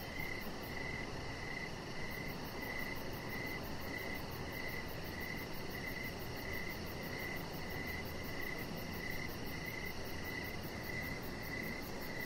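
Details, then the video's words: Crickets chirping on an evening outdoors near a deck: a long run of evenly spaced chirps, around seventeen in twelve seconds, over a low hum, with a very high rapid pulsing beginning after two seconds. "Chihuahua Puppy Laying On Deck with Cricket Sounds"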